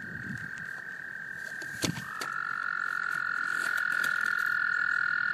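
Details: Male American toads calling to attract females during breeding in a small pond, Laurens County, South Carolina, USA, March 2014: a long, steady, high musical trill, then a second trill slightly lower in pitch takes over after a brief knock.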